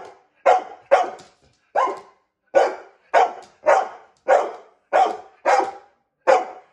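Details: Barking female dog objecting to her owner's attempt to brush her; about ten loud, evenly strong barks, roughly one every half second to second, clean indoor recording.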